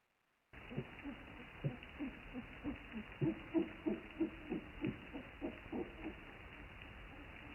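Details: Underwater Cape fur seal calls, low hooting grunts in a quick, uneven series, recorded on 11 May 2018 by a hydrophone moored off Kommetjie, South Africa.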